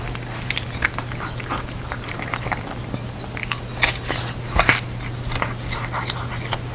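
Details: Pet cat Jeongsaek, in traditional Korean hanbok, eats a special Seollal dumpling soup. Sharp bursts of crunching and tongue smacks repeat unevenly, loudest near the end, with a constant low hum underneath.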